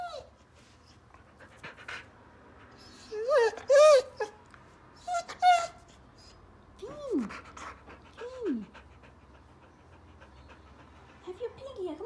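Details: Finn, a male Border Collie on his fourth birthday, overwhelmed and excited by his gift, gives a series of high, arched whines that rise then slide down, some drawn out and layered, separated by short quiet pauses over twelve seconds.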